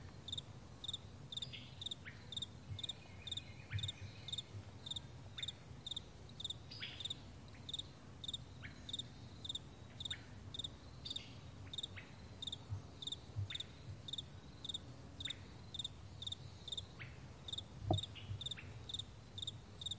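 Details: Crickets on a vast meadow in the morning: short high chirps made of quick pulses, repeated about twice a second throughout, with faint brief sliding calls in the background, a low rumble underneath and a sharp click near the end.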